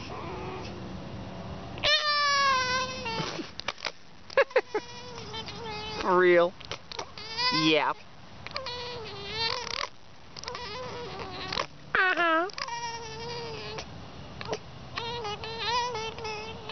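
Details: Pet fox playing, giving a busy run of quavering whines, sharp yelps and short squeals, some calls rising then dropping, repeated every second or two with brief pauses.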